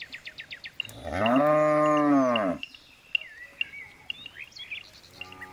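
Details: A single drawn-out moo from a jumbo bull, lasting nearly two seconds with a rising then falling arc and strong harmonics, surrounded by scattered bird chirps and a brief start of another low call at the end.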